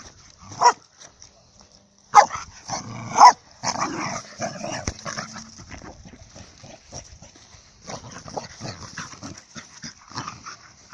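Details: Female dog, excited, barking in a meadow on 17 February 2018 to urge her owner to throw her ball: three sharp, loud barks spaced about a second apart, followed by quieter rustling and faint background noise.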